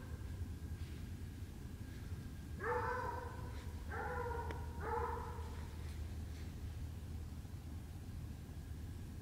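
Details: Coon hunting with a Treeing Walker Coonhound: three short bawled bays in quick succession midway through, partly distant, over a constant low droning background.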